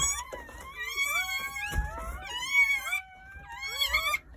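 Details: Newborn Jindo puppies, part of a litter of nine born at a countryside house on New Year's Day between 8:30 a.m. and 1 p.m., cry in high, thin, overlapping whines that slide up and down.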